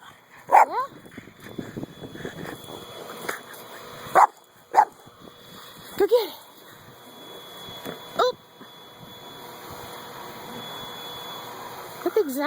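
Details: Buddy, a dog playing frisbee, lets out scattered barks and yips, a few clustered early then spaced several seconds apart, with a person talking between them.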